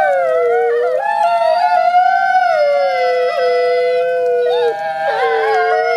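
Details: Two captive gray wolf siblings at a wolf conservation center in a synchronized howl: smooth sustained tones rising slightly then sagging, with brief wavers and a second voice joining near the end.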